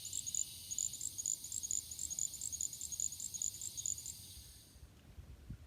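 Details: A little grass frog, North America's smallest true frog, calling at night from grass in marshy areas and wet meadows of the southeastern US, gives a run of very high, thin, short trills almost like an insect.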